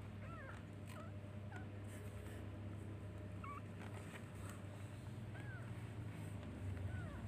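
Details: Baby kittens searching for and calling their mother, giving short, thin mews that rise and fall and repeat roughly every second, over a steady low hum.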